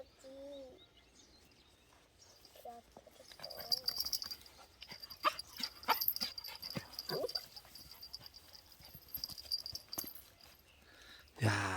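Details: Weaned puppy, raised for two months in an apartment and then given to an acquaintance, reunited with its family one month later: faint, short whimpers rising and falling, scattered among soft clicks and rustling, with a steady high hum behind.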